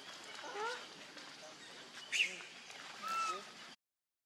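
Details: Hungry baby monkey Leo begging its mother for milk, giving a few high, thin squeals and whimpers: faint wavering cries early, a sharp high squeak midway, then a longer steady whine, over a background hiss.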